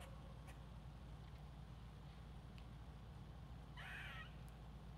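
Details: Single rasping squirrel call near the end, a brief grating burst, preceded by a few faint ticks and a continuous low background hum.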